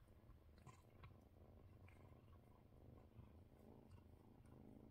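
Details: Purring kittens with a cat receiving belly rubs indoors on a December 30 evening: a continuous deep, even rumble that holds throughout, broken only by small soft rustling touches.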